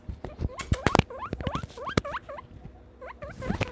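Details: Pet male guinea pig calling in excitement because he expects his critical care feeding as a visitor arrives; a run of short, upward-sweeping squeaky chirps in quick bursts, with soft rustling and clicking from the cage.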